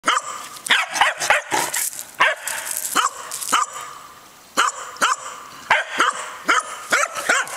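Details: Winnie, a three-year-old corgi, barks in a back yard to coax the older corgi Oliver into play: sharp, bright barks in quick bursts, some doubled, with a short quiet gap midway, then a steady run of yips.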